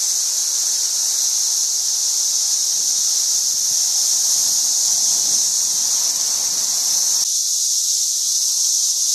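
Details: Swarm of cicadas in St. Louis, 2011, numbers growing worse every day: a dense, unbroken high-pitched droning hiss from countless insects at steady loudness, with faint low rumble underneath.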